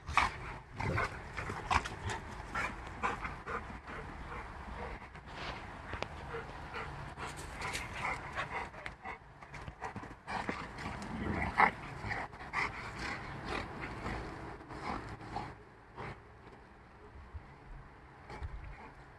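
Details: Two Rottweilers, a five-month-old and a five-year-old, growl and huff in rough play, with low rumbles and breathy snorts coming in bursts.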